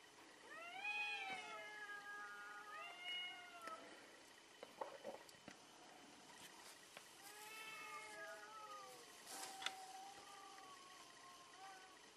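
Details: Fighting cats in a fierce fight give a series of moaning, wavering yowls, some short and some drawn out, over a quiet background with occasional faint knocks.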